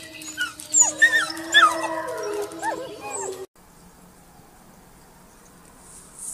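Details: Young wolf pups give a few short, high, bending howls and yelps with quavering tones for about three seconds. The sound then cuts off abruptly to near silence.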